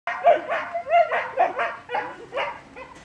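A German Shepherd puppy gives a run of high, clear yips and short barks, about one every second.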